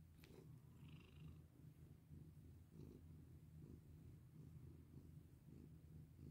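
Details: Domestic cat purring while being petted: a steady low rumbling purr throughout, pulsing in soft waves, with a brief higher tone near the start and faint rustling of handling.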